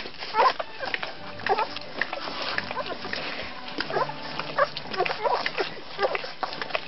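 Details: Rhodesian Ridgeback puppies of the F litter in their second week, giving short squeaky whines and grunts in quick, overlapping bursts roughly every half second to second, with soft shuffling and a steady low background murmur.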